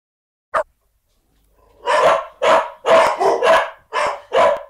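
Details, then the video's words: Farm dog barking: one short sharp bark, a pause, then six loud rough barks in quick succession, about two per second, some doubled, with a quiet background. "Farm dog barking"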